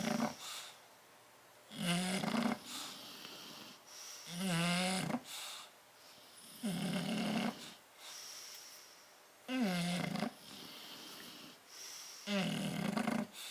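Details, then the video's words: Snoring bulldogs Tyson and Tyra asleep in their crate on 30 October 2012: loud, buzzy, rattling snores with a wavering drone, recurring every two to three seconds, interspersed with softer nasal exhales in a quiet indoor space. "Tyson and Tyra Bulldog sleeping and snoring in crate"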